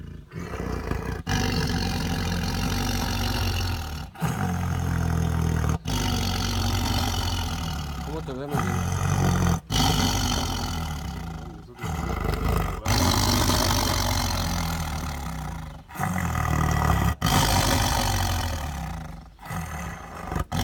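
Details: Siberian tiger eating, giving long, deep rumbling growls in sustained bouts of two to four seconds, each broken by a brief pause for breath, the throaty pulsing continuing through most of the stretch.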